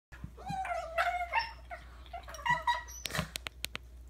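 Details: Dog making weird sounds: a long wavering, whiny vocal tone that bends up and down for about a second, several shorter yelping cries, then a few sharp clicks or knocks near the end.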